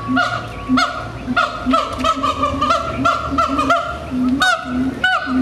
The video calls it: Siamang Vocalization _long.mpg